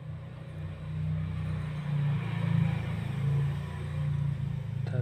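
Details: Low engine rumble from passing traffic with bits of speech outdoors; no animal sound is heard.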